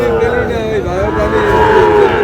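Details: Sahiwal bull calves at a Bangladeshi cattle market, bought by a farmer from Narail on 26 June; one long, even, deep moo sustained for about two seconds, dipping slightly midway, with market crowd noise behind.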